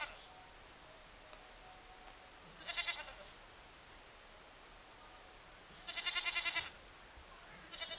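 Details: Baby goat in a village setting: three nasal, wavering bleats, short and tremulous, spaced several seconds apart, over a soft hiss of background noise.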